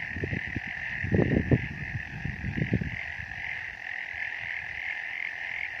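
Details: On a misty mountain, frogs give low, gruff croaks in short bursts over a steady high-pitched chorus.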